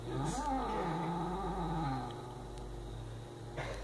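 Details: Indoor pet cat defending a mouse with a steady, low rumbling growl that rises slightly then sinks and softens over about two seconds before trailing off into a quiet hum, with a faint scrape at the end.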